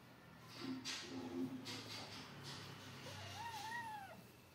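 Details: Domestic kittens playing outside in front of an adult cat, two outdoor kittens with three others; soft scuffling and rustling, then one drawn-out tonal meow that rises, wavers and falls away near the end.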